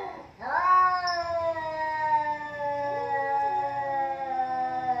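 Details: Fight between two cats, heard as one long steady yowl that climbs sharply at first and then holds a level, slightly descending moan with a faint second voice underneath.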